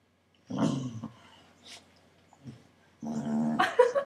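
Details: A corgi, unhappy at first as another corgi piles on top of it for cuddling and licking, gives short, harsh growling grumbles in two bursts, with quieter snuffles between.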